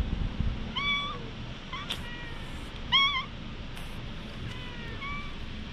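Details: Patted stray cat, GoPro HERO8 recording, meowing four or five times in quick succession; brief bright cries with a little upward bend, plus soft rustles and touches between them against low background hum.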